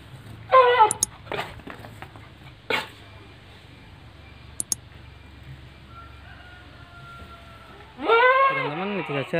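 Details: Etawa goat kept in a pen at Ngrambingan village, Panggul, Trenggalek, with three pregnant mothers and one young future buck. A short bleat opens, then clicks and knocks, then a long quavering bleat near the end.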